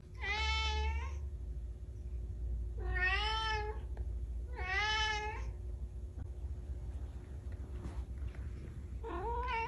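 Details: Domestic cat meowing in a repeated series: three drawn-out, harmonic meows about every one and a half seconds, then a pause before another begins near the end, over a steady low hum.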